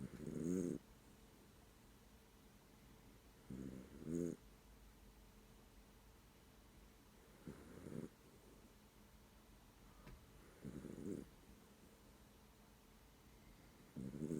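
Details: Sleeping pet dog snoring, at times with its eyes open: short throaty rasping snores at irregular gaps of about three to four seconds, some doubled, over steady background hiss.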